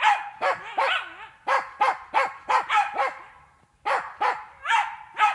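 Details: A Jagdterrier in training on wild boar inside an enclosure barks rapidly and insistently, about a dozen loud, ringing barks in quick succession, with one brief pause before the series resumes.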